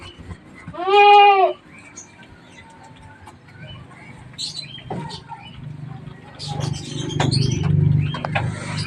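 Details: Goat from a herd where a nanny has just given birth to three kids, two male and one female: one loud wavering bleat lasting under a second, then low rustling and faint voices.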